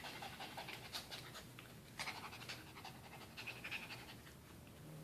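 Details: AJ the dog breathes in short, hissy pants after playing tug of war with his towel, the huffs pulsing in quick clusters with small gaps and a couple of faint squeaky tones.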